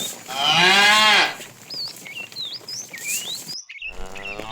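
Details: Fat tame cow calling to a female during afternoon herding: a loud, rising then falling harmonic moo of about one second, followed by chirping bird whistles and a fainter second moo near the end.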